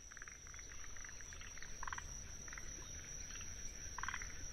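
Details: Forest green tree frogs (Zhangixalus arboreus) give short, pulsed chuckling calls over a steady, high Kinhibari cricket trill in a wetland in Tsuruoka, Japan, on 19 June 2021.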